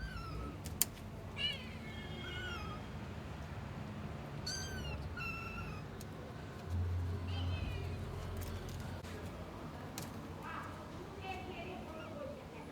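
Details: Stray kitten left for two days in -11°C snow before rescue, giving repeated short high-pitched mews, several bent upward then down, scattered through the clip over broadband rumbling noise and clicks.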